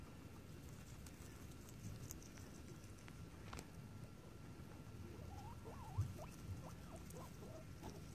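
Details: Guinea pigs on an adventure: a run of short, quick rising squeaks in the second half, about six chirps close together, over steady low rumbling background noise and a faint constant tone.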